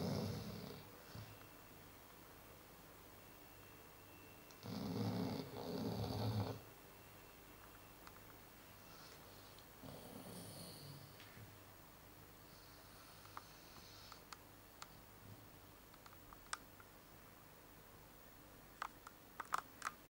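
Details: A Chow Chow asleep, giving deep, gravelly snores in long drawn breaths about every five seconds early on, then settling into near silence broken only by faint scattered clicks.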